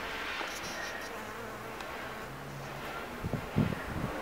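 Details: Female hairy-footed flower bee (Anthophora plumipes) hanging from the tip of a Cerinthe major flower, buzzing to shake out pollen. A steady, low, droning hum runs throughout, with a few louder rasping bursts near the end.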